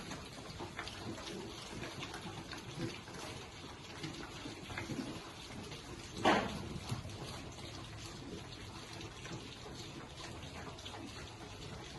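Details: Quiet background hiss with soft rustling and a single brief knock near the middle, but no animal calls.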